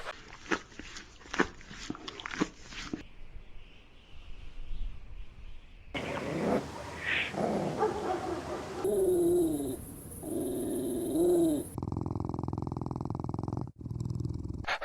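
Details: Puppies of small breeds (Pomeranian, Chihuahua, Maltipoo, Poodle, Bichon Frisé) barking and playing: a quick series of sharp yips, then a stretch of rising and falling whimpers, cut together from several scenes with shifting background noise.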